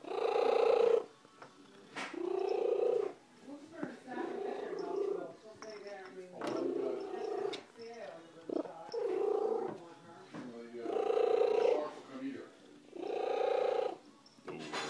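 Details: Loud purring from a female pet cat, once a roadside stray: rasping one-to-two-second bursts in a steady in-out rhythm, with human voices talking over and between them.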